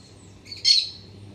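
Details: Black-tufted marmoset in a garden during autumn, coming to a Citharexylum myrianthum tree once the sun hits its trunk. One loud, piercing, high-pitched squeaky call, preceded by a faint shorter note, in an otherwise quiet setting.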